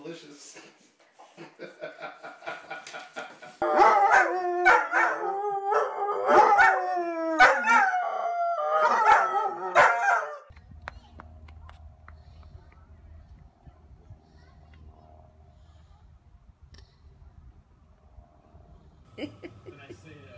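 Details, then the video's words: Pet dog crying along with his human baby brother in support: about seven seconds of loud, wavering, drawn-out howls rising and falling in long quavering notes, preceded and followed by quieter household sounds and low background rumble. "Dog & Baby Cry Together"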